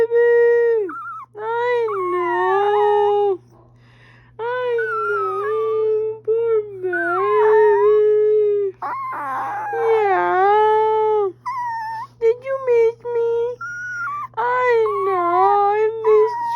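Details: Chihuahua howling in long, drawn-out, wavering tones that rise and fall, sung in several bursts separated by short pauses, some ending in quick yips, over a steady low electrical hum.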